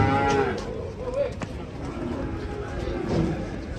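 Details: Sacrificial cattle being unloaded from a truck in Indonesia, one giving a short, low moo at the start, followed by engine rumble and people talking nearby.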